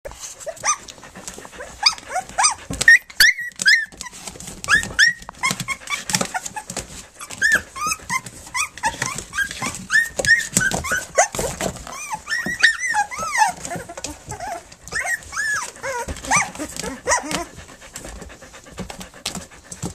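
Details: Three-week-old puppies nursing and playing indoors, giving many short high whimpers and squeaks, rising and falling, overlapping throughout, with soft rustling and movement noises.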